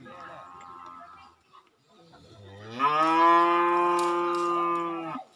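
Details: Cattle being trained for fighting, a local cultural tradition on Bawean island, Gresik, East Java, Indonesia; a long, steady, loud moo held for about two and a half seconds after a brief quieter lowing call.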